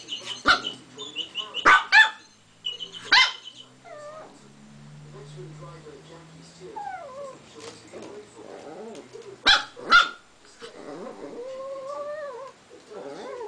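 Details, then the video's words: Dog wanting a crumpled paper ball stuck inside a glass, giving scattered sharp barks in pairs amid whining, squeaky whimpers and clattering of the glass. "barks at a balled up piece of paper in a glass"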